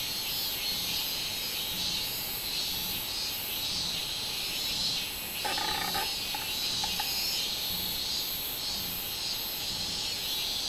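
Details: Minminzemi (robust cicada) song from 24 July 2016: high, sizzling buzz pulsing in repeated swells, with a brief burst of harmonic, rattling sound in the middle.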